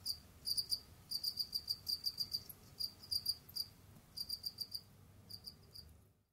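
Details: Jamaican field crickets kept as pets give rapid, high chirps in runs of pulses, steady for several seconds, pausing, then resuming before fading out at the end.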